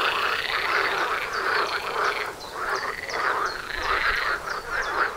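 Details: Chorus of many frogs near a house entrance, quick rattling croaks repeated in bursts about every second, swelling and dipping in loudness.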